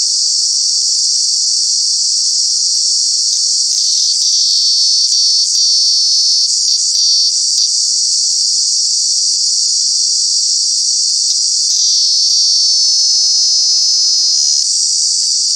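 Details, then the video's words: Cicada, a true bug calling in the summer months at Kanha National Park, India: a loud, continuous high-pitched electric buzz that holds steady for the whole stretch, with brief wavering dips and faint low tonal hums in the background. "Cicada, Cicadas are true bug with very loud sounds"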